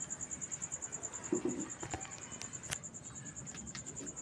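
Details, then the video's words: Night-time cricket giving an unbroken string of high, rapid pulses, roughly ten per second, over a low rumble, with a few soft knocks and clicks in the background. "cricket sound at night"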